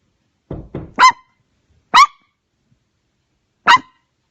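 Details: Domestic dog barking in response to knocking sounds: two soft low grumbles, then three sharp, loud barks spaced about one to one and a half seconds apart, with silence between.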